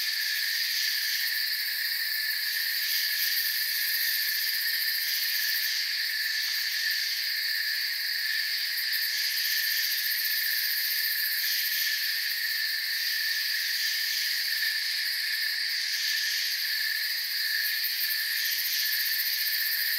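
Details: Night forest ambience of chirping crickets: a sustained, shrill, multi-layered trill that swells and eases slightly over twenty seconds, with rapid pulsing in the highest notes and nothing else prominent.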